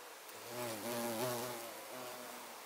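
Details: Violet carpenter bee (Xylocopa violacea), 24 September 2024: a close, deep, harmonically rich buzz that wavers in pitch, dipping and rising again as the bee hovers and shifts position nearby for under three seconds.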